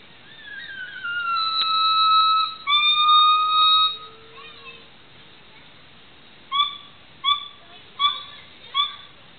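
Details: Black male gibbon, the only one calling, gives long pure whistled hoots, a falling note then level sustained notes about a second long, followed after a pause by four short rising whistles roughly evenly spaced.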